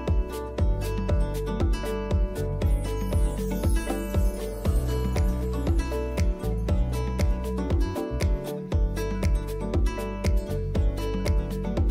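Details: Steady upbeat music with a regular thumping beat and jingling percussion, with no animal voice present.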